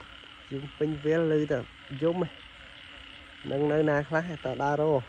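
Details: Frogs calling in a rice field at night after heavy rain: deep, nasal croaks with rich harmonics, given in bursts of several pulsed notes, with a pause between bursts, over a steady high insect-like chorus.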